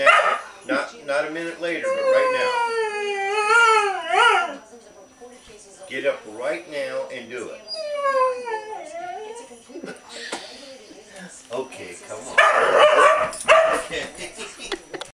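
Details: Audi, a female Afghan hound who wants her cookie right now, answers with long wavering howl-like whines that rise and fall in pitch, mixed with a person's voice urging her on.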